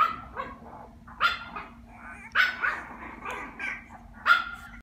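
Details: Puppy, recorded on 1 November, giving high, sharp barks and yips spaced about a second apart, with a faint steady hum behind.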